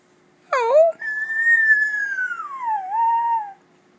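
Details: Pet dog Gracie howls while talking with her owner: a short yelping onset, then one long, clear, tonal howl that holds steady, slides gently downward, dips and levels off, with a faint steady hum behind.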